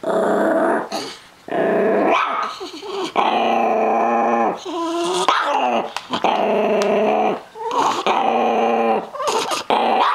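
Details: Chihuahua-Miniature Pinscher mix dog growling possessively over his treats indoors; sustained harmonic growls broken by short pauses, with a few sharp yips and rising whine-like edges between bouts.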